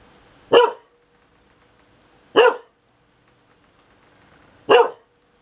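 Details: Sunny, a pet dog, barks at thunder as if complaining that it is noisy: three sharp, short barks spaced about two seconds apart in a quiet room.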